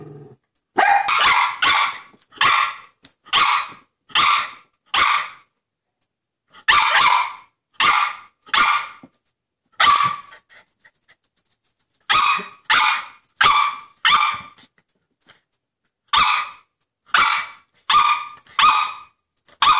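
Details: Excited six-month-old Westie barking at a squirrel seen from the deck, sharp high barks repeated roughly every half second in runs of several, with short pauses between runs.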